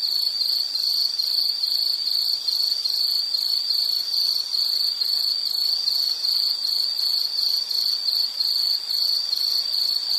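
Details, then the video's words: Insect chirping for calm background listening, a bright, high, rapidly pulsed tone repeated steadily without pause, faint upper harmonics and no other animals. "Nature Sound of nature sounds scenery L · insect"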